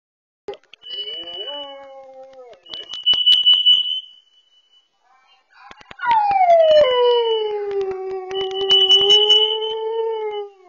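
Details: Indoor dog barking and howling because a carbon monoxide sensor is going off, picked up by a Furbo dog camera. A steady high electronic alarm beeps. Then a long, loud, wavering howl slides downward and holds for about four seconds.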